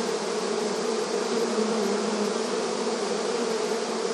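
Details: Honey bees massed at a hive entrance, an unbroken buzzing drone with stable low tones and a broad hiss, the swarm's loudness swelling only slightly.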